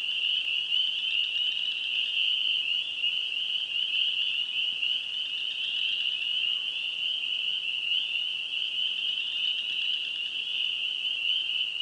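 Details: Spring peepers in Wisconsin call in a thick, steady chorus, countless shrill, high peeps overlapping into one unbroken shimmering ring with no other clear voices.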